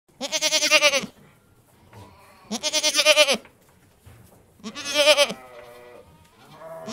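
Three drawn-out goat bleats come roughly two seconds apart, each strongly nasal with a quavering, pulsing tremble. The calls are bright and rich in overtones, with only faint background noise between them.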